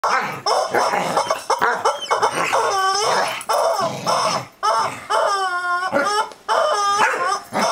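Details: Corgi barking at a screaming rubber chicken toy: harsh, rapid yips and barks overlap the toy's long, wavering, high shrieks, which rise and fall several times through the recording.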